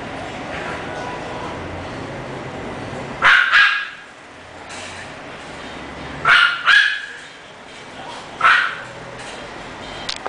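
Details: English Bulldog barking: three short paired or single sharp barks spaced a few seconds apart over steady background hiss.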